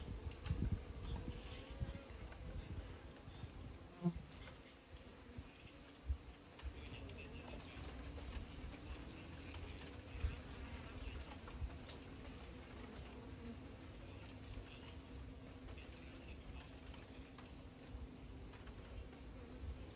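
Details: Bees buzzing in a low, steady hum that holds through the whole stretch, with a few soft taps and pattering sounds scattered over it.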